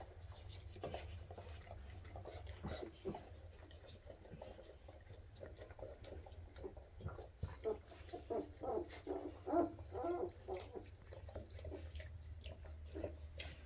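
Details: Weimaraner pups at 2.5 weeks, newly walking fast and chasing their mom to nurse; a rapid run of short high yelps and squeaks, about two per second, builds in the second half over steady low background hum.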